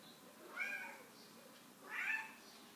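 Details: Morning meows from a Chartreux cat: two brief, quiet, nasal mews roughly one and a half seconds apart, heard in a still indoor setting.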